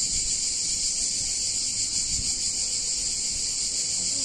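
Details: Cicadas sing through a hot summer day in a picturesque town in Italy, producing an even, high-pitched, sizzling drone that never breaks, over a faint low background hum and a couple of soft thuds.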